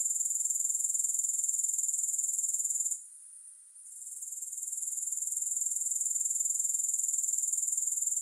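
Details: Continuous high, thin insect trill from grasshoppers, pulsed roughly four times a second, with a short gap of near-quiet around three seconds before the buzzing fades back in; no music.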